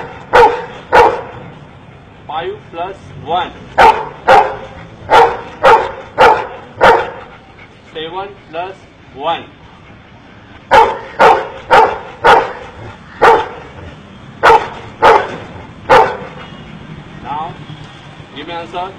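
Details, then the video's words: Counting dog in India barking in rapid sets of sharp barks, the sets broken by a man's spoken words, about thirty barks in all. "Indian Man Teaches His dog to count"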